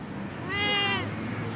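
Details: Cat being talked to answers with one clear meow of about half a second, a tonal call that rises slightly and then falls away, set against a low steady background hum.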